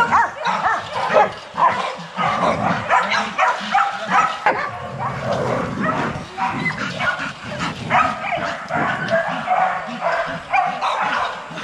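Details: Several young Rottweilers barking together in their kennel exercise yard, a steady, crowded stream of short, overlapping barks with no pause across the whole stretch.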